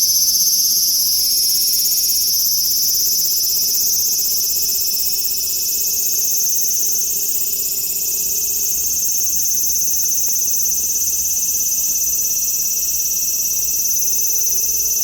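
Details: Large brown cicada calling: a loud, unbroken, high sizzling drone holding steady for the full fifteen seconds, with no pauses and no other clear sounds.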